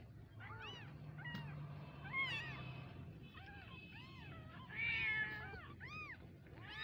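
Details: Kitten meows, several small high arched calls overlapping at irregular intervals, some rising and falling, over a low steady hum in the background.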